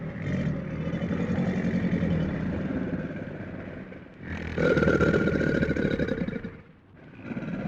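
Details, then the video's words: Crocodile growl, a low grinding rumble that rattles steadily, fades briefly near the middle, then swells into a louder rasping stretch before dropping away. "Real crocodile sound effect | Crocodile growl sounds | Crocodile hissing"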